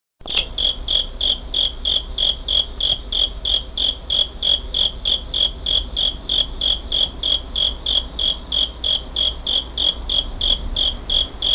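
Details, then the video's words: Cricket recorded on 27 August 2011 with a Pentax Optio S5z camera: a steady train of short, high, ringing chirps, about three per second, evenly spaced through the clip over a low background hum. "귀뚜라미 소리 cricket sound"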